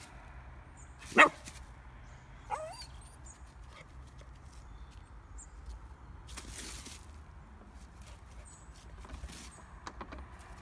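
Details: Frightened female Pomsky named Bentley barking through a fence at a hog seen for the first time on a walk; one sharp loud bark, a smaller second yap, then quiet outdoor background with faint rustling.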